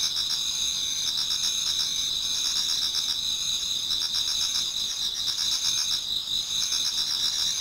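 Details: Autumn insects in a Japanese garden singing as dawn approaches: many overlapping shrill trills form an unbroken high ringing wall of sound, with quick pulsed notes beating beneath the steady tones.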